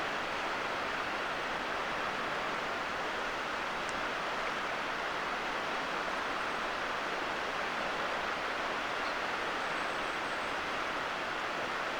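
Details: Steady broadband rushing noise, like surf or wind, with no animal calls heard.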